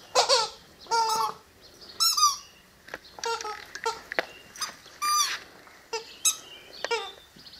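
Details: Presa Canario puppies about six weeks old giving high, squeaky whines and yelps in short overlapping bursts, roughly a dozen within seven seconds, some rising and falling in pitch, with quiet gaps between cries.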